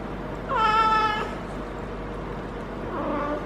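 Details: Harley, a feral female cat in her first heat cycle, caterwauling while being petted at the base of the tail: a loud, harmonic, wavering yowl of under a second, then a softer, rising second cry, over low steady hum.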